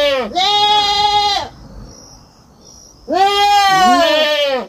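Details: Young goat on a farm bleating twice, two loud, harmonic-rich calls each about a second long, with a quiet gap between them and a steady high insect-like drone in the background.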